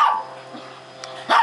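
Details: Two senior Japanese Chins, Dominic (red and white) and Vinchinzo (black and white), just out of a puppy mill and after their first bath; two short, sharp barks, one at the start and one near the end, with quiet and a low hum between.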